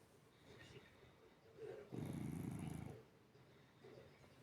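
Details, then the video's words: A cat sleeping with open eyes gives a single low, coarse snore lasting about a second, with quiet breathing on either side. "кошка спит и храпит с открытыми глазами"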